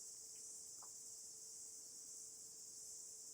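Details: A stone cicada, emerged to mate and likely to die within days, gives a steady, high, hissing buzz that drones on without a break.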